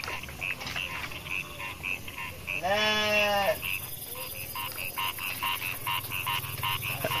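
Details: A young goat on a goat farm in Indonesia gives one wavering, nasal bleat over a steady chorus of rhythmic, croaking calls.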